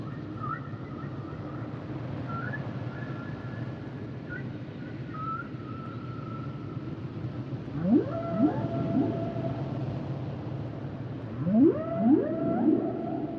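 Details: Humpback whales sing flat whistle-like tones broken by small upward jumps, then two bursts of three quick rising whoops each, swelling into drawn-out wails, against a continuous deep underwater hum.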